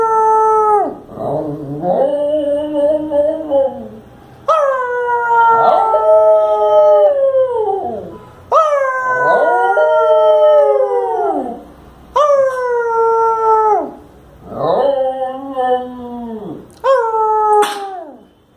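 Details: Evening howling from Shiro, a Lhasa Apso coaxed by his owner to speak: repeated mournful howls that waver and fall in pitch, coming in quick succession with brief pauses and a short yip at the end.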